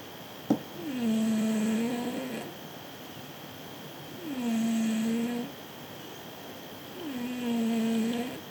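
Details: A sleeping cat snores in low, smooth, droning tones, each lasting over a second and returning about every three seconds against a steady faint background hum.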